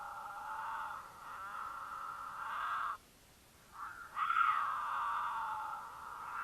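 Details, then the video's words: Courting mountain lions in Utah, the female in heat giving a loud caterwaul to draw the male: sustained harmonic wails over several seconds, broken by a short silence, then a strong rising cry continuing as a steady drawn-out yowl. "The Unforgettable Sound of a Mountain Lion Caterwaul"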